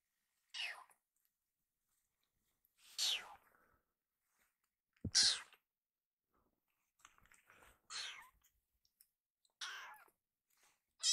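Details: Rescued baby kitten, still hungry after eating, calling loudly for a second helping; short high meows sound about every two seconds between silent gaps.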